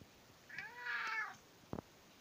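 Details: British Shorthair cat asking insistently for breakfast indoors, giving a drawn-out, slightly nasal meow that swells and fades, with a short double knock or tap right after.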